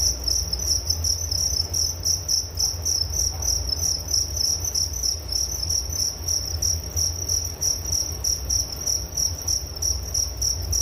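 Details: Relaxing cricket sounds for bedtime: a bright, high, buzzy chirping pulsed about three times per second without a break, above a low continuous hum.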